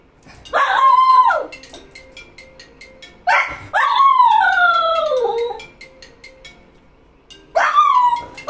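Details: Cocker Spaniel (Canis lupus familiaris), howling whine: demanding that its owner answer the phone.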